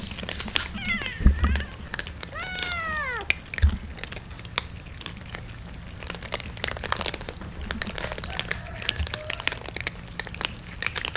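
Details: Morning feeding of street cats and kitten: a pair of brief wavering meows early on, then only clatter, rustling and steady low hum for the rest.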